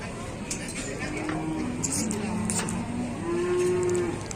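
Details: Cattle, including a bull, at a busy early-morning livestock market in Indonesia, agitated and fighting; low wavering moo building toward the end over steady crowd murmur and voices.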